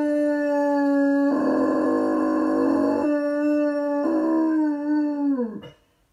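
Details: Miller the dog howls dramatically after dropping his toy: one long, steady, tonal howl with rich overtones that swells louder midway and again later, then slides sharply downward and fades out near the end.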